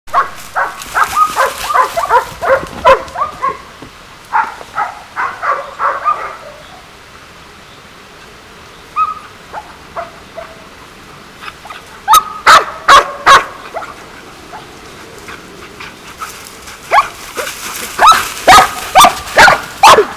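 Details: One of three livestock guard dogs in Switzerland, filmed by trail camera chasing a red deer near sheep, gives loud, rough barks in fast, insistent volleys separated by short quiet spells, with a few softer single yelps between.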